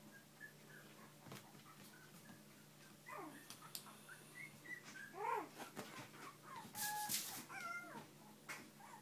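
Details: Bichon and shih poo puppies with parents in a small room, thin whimpering squeals building into louder wavering cries and yips in the second half, a sharp clatter near seven seconds over a low hum.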